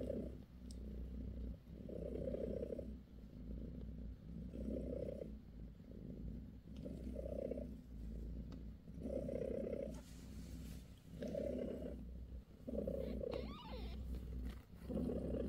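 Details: British shorthair mother cat Bassy giving her kittens a massage, purring continuously; a low buzzing rumble that swells roughly every two seconds, about seven louder phases, with light rustles and a faint squeak near the end.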